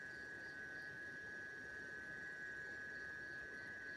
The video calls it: Amazing Sounds of a green Cicada.